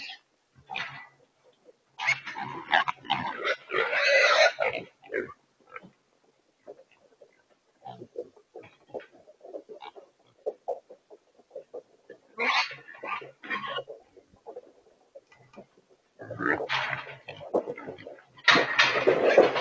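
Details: Wild pigs held in a remote control corral trap in Texas during their first trapping event; bursts of loud squealing alternate with quieter rapid clicking grunts, several pigs calling, ending in a harsh loud squeal.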